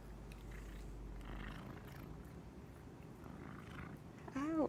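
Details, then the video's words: Pet cat asleep and dreaming in the middle of the day, snoring and twitching: a soft, low rumbling breath sound, then a sudden short rising-and-falling meow-like cry as it stirs awake. Faint indoor room background. "Cute cat is snoring, twitching, dreaming and waking up."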